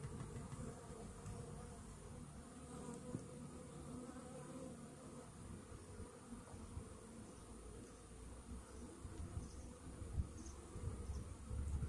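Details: Honey bees in a hive infested with Varroa mites, half an hour after a morning Varachet treatment; steady low droning hum fills the recording, with faint scattered clicks and knocks toward the end.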